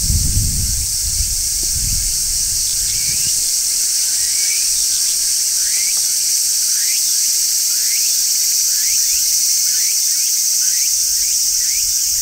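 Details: Large brown cicadas singing on a tree in midsummer: a dense, unbroken high shrilling drone holds steady throughout, while faint short rising chirps repeat roughly every second beneath it and some low rumble fades early on.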